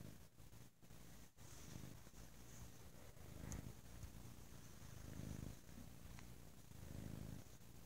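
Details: Lazy Sunday purring from the cat Bo: a continuous low rumble that grows stronger toward the end, pulsing with inhale and exhale. A couple of soft clicks are heard.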